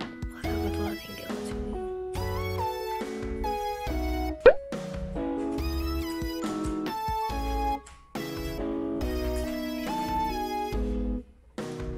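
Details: A bright, plucky instrumental tune with a single plop sound effect plays throughout, with no animal voices.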